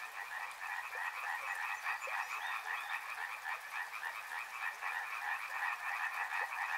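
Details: Riverside frogs in full chorus, a continuous rattling mass of quick croaks with irregular pulses and faint ticking sounds underneath.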